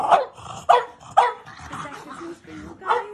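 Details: French Bulldog at Christmas, excited while a gift is opened: short sharp yappy barks, three in the first second and a half, then a grumbling whine and one more bark, with a woman talking in between.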